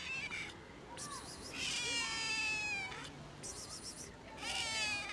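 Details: Hungry stray cat persistently and loudly meowing to ask for food for herself and a companion; four drawn-out, harmonic meows, the longest rising then falling over more than a second, with short gaps between them.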